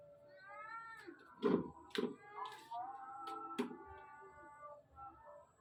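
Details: Two kittens about two months old play hide and seek, peeking at and pouncing on each other while their mother watches and keeps meowing warnings; drawn-out, rising harmonic meows come repeatedly, broken by soft thumps.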